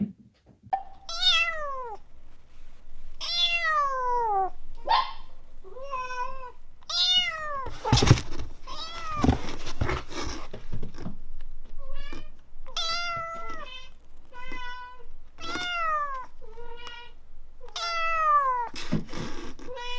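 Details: Kittens that open up to people quickly: a run of loud, clear, tonal mews, each arching and falling, about a dozen over twenty seconds, with brief rustling and handling noise in between.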